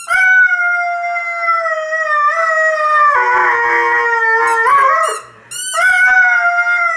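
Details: Male Irish Red and White Setter singing while squeaking a toy football. A long, rich, tonal howl slides slowly downward and then wavers. A brief gap follows, broken by high, arching squeaks from the toy, and then the howl resumes.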